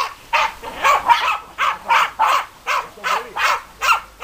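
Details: German Hunting Terriers Bagira and Cox von der Fuchskralle barking, sharp repeated barks roughly every half second, steady and insistent, with a faint ringing tone in the background.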